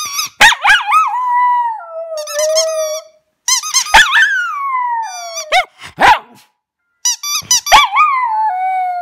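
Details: Domestic dog singing indoors: four bursts of high, squealing yelps that slide down into long, steady, whining howls, each phrase falling in pitch and separated by short pauses, no other sounds.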